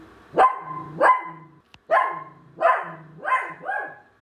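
A poodle gives a run of sharp, ringing barks with a low whine sounding between them.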